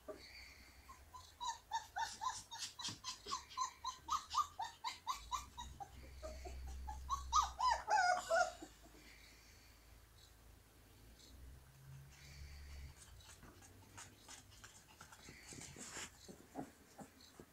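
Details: Singing Siberian Husky puppies give a run of short rhythmic yelping howls rising and falling, building to a louder wavering howl around eight seconds, then fading into low rumbling background and faint whimpers.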